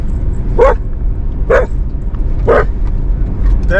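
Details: Border Collie barking loudly at passing farm animals such as sheep, cows and llamas while out camping in the rain; sharp barks repeated roughly once a second, four in total, over steady low rumble and an owner's reassuring voice.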